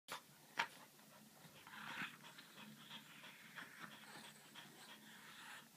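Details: Dogs, a French bulldog and a griffon, at play: rapid, breathy panting and snuffling with a few short, gruff vocal bursts.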